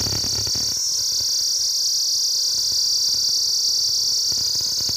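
Cicadas keep up a steady, high, hissing buzz that never lets up.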